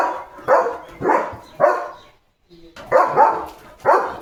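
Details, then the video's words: Morning barking from Leo, a German Shepherd guarding his village against passing cattle, vehicles and dogs: three harsh barks in quick succession, a brief pause of near silence, then two more forceful barks. "बघा बघा! सकाळी असा गोंधळ घालतो Leo The German Shepherd"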